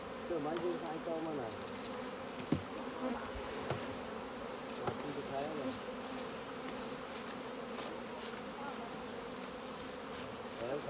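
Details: Honey bee swarm humming as beekeepers harvest honey from the hive; an even, steady drone fills the recording, with brief human voices and a few knocks.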